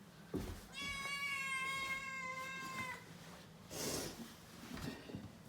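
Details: Indoor rescue kitten (Shishimaru or Nana), 67 days after arriving home, exploring stairs at New Year after a Churu treat, gives one long, clear, steady meow lasting over two seconds, followed by rustling and a soft bump.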